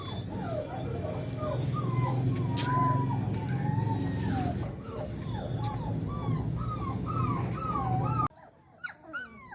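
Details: Puppies offered for sale in India, Labrador pups among them, whimpering and yipping in a rapid run of short high rising-and-falling cries, several overlapping, over a low background hum; the cries drop away suddenly near the end.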